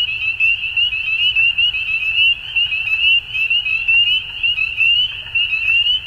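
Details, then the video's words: In Ontario, Canada, frogs call at dusk in spring, producing a steady high peeping chorus with individual upslurred notes heard over the mass, swelling roughly once a second. "Frog Sounds At Dusk"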